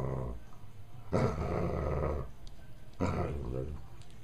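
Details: Dog named Rose grumbling while playing with a toy of two yellow tennis balls taped together with electric tape; low throaty growls in two bursts, around one and three seconds, each lasting about a second, with quieter rumbling between.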